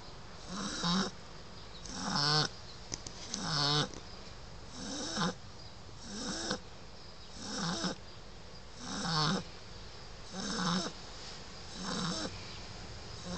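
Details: Nine-week-old Shar Pei puppy Lola asleep, snoring in a regular rhythm, about one raspy, wheezing breath every one and a half seconds, each swelling and fading, with a quiet room behind.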